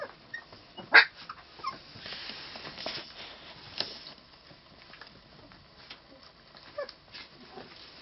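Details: Three-week-old puppies from litter H, a short high whimper near the start followed by faint scattered squeaks and soft rustling, quiet indoor background.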